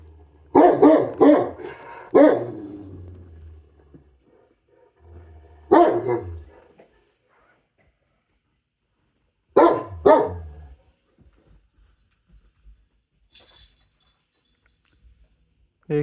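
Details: Pet dog protesting over its food with clusters of sharp, yowling barks and groans, followed by long silences, then more outbursts and a last short yelp.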